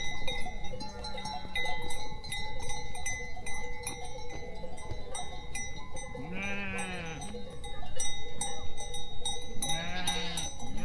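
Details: Goats and sheep meeting, with sheep giving drawn-out wavering bleats, two clear ones near the end, over a steady tonal ringing like cowbells and a constant low rumbling background.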